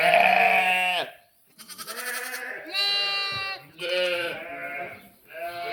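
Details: Bleating sheep and lambs: several separate quavering bleats, some higher and thinner like lambs, others lower, spaced by short silences, with faint shuffling in the pauses.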